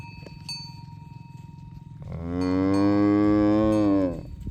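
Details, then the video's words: Tame cows herded in the morning toward their pen along village roads; one long, steady, richly harmonic moo lasting about two seconds, preceded by the clinking of cowbells and a low rumble of the moving herd. "Asmr Sapi Moo | Suara Moo"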